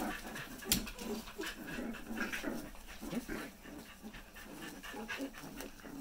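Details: Four-week-old corgi puppies panting in quick, uneven breathy bursts, with a sharp click near the start and soft handling noise throughout.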